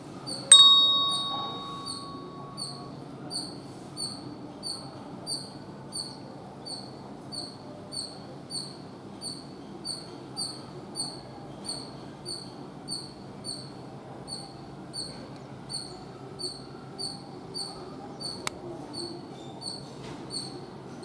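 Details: High, clipped squirrel squeaks repeat evenly, roughly two each second, after a bright ringing tone at the start, with a quiet hiss underneath throughout.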